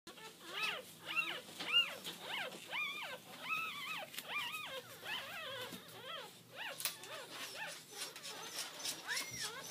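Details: Piebald AKC miniature Dachshund puppies, blue-and-tan and black-and-tan, born October 12, whimper and squeal in a steady stream of high, arching cries.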